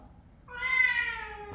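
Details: A cat whining to be let outside gives one clear, drawn-out meow with rich harmonics, rising slightly then holding steady for about a second.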